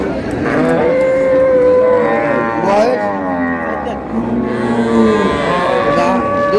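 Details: Lowing from cows with calves at Ambari market in Dinajpur, 20 February 2026: several long, tonal moos that bend up and down in pitch, one after another, beneath the steady hubbub of traders talking.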